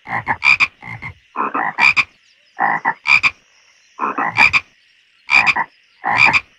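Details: Pond frogs call in a loose, uneven series of short croaks, each a cluster of two or three rough pulses. Sharp ringing croaks trade with duller, lower ones, and short quiet gaps fall between bursts.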